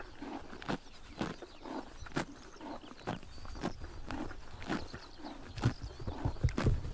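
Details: Horses biting grass in the morning sun during summer in Mongolia: crisp broadband tearing crunches repeated about twice a second, with softer chewing between bites and low rustling in the background.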